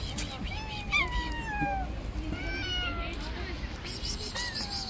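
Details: Stray street cats clash over an angry white cat's territory: long, wavering, downward-sliding yowls overlap in a tense exchange, rising and falling in pitch over steady low urban rumble.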